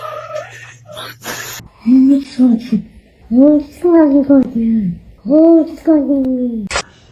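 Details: Domestic cat indoors giving three drawn-out, low meows, each about a second long, rising then sliding down, spaced roughly a second apart, with a person talking briefly at the start.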